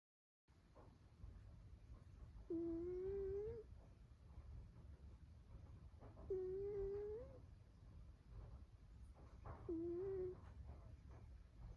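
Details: Sleeping cat snoring: a squeaky, rising, harmonic tone about a second long on each breath, repeating roughly every four seconds over a quiet low hum.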